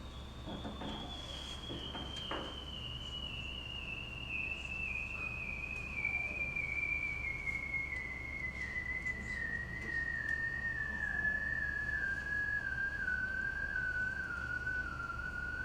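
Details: Bearded seal recorded in Antarctica with a microphone lowered through a hole cut in the ice; one long, slowly descending whistle-like trill gliding steadily downward for about fifteen seconds, with faint shorter downsweeps and underwater background hiss.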